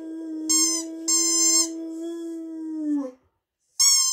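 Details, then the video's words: Sanza, a female dog who loves to howl when she hears a squeaky toy, holds a long steady mid-pitched howl that drops away at the end, while sharp high squeaks of the toy sound three times. "HOW TO MAKE YOUR DOG HOWL"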